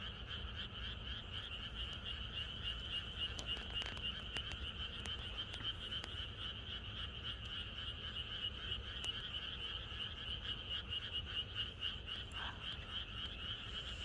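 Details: Frogs call en masse in the countryside on a night before rain, a continuous throbbing chorus of fast repeated croaks, scattered sharp clicks and taps mixed in, plus a low rumble underneath.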